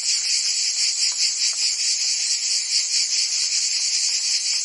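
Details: Provence cicadas in summer, singing as a constant shrill buzzing drone with quick rhythmic pulsing, many callers together, loud and unbroken throughout.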